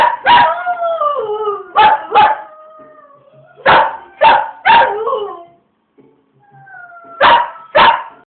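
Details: Dog singing on a rainy day; short sliding howl notes mixed with sharp yelps in bursts, a brief pause, then two more yelps.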